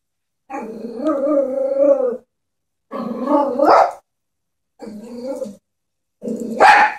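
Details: A pet Chihuahua, scared of a stuffed toy horse, gives drawn-out, wavering growls of over a second each. A sharper, rising bark-yelp follows, then a short growl, and the clip ends on a high, shrill bark.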